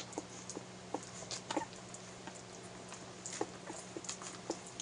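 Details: One-week-old Airedale Terrier puppies nursing on their mother: short, high squeaks and whimpers scattered through the clip, with faint rustling and a steady low hum.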